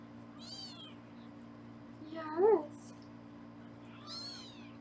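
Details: Kittens in foster care on a Los Angeles kitten cam during weighing: three soft meows, the middle one louder and lower with a short rising-falling shape, against a quiet indoor hum.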